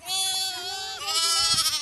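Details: Sheep in a flock being vaccinated against PPR: overlapping nasal bleats with stacked harmonics, held almost without a break for nearly two seconds, one voice sliding lower midway while another continues above.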